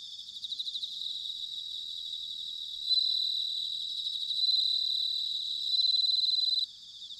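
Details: A close bell cricket sings in autumn at Sanuki, Chiba, Japan: bright, bell-like ringing trills in sustained bursts of one to two seconds, louder phrases near the end, with more crickets trilling behind.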